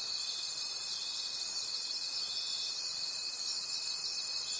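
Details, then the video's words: Night forest crickets form a dense, high-pitched wall of sound, rhythmically throbbing in slow waves, while a thin steady whistle-like tone runs unbroken underneath. "Forest Sounds and Cricket Conversations at Night"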